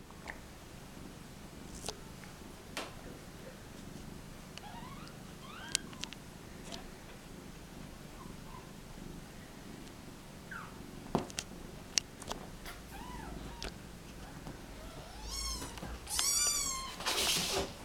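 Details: Mother cat and her kittens, dumped in a box at a turnpike, as the mother comes to rescue her crying babies: faint high arched kitten mews recurring through, a loud harmonic-rich cry near the end, with clicks and rustling.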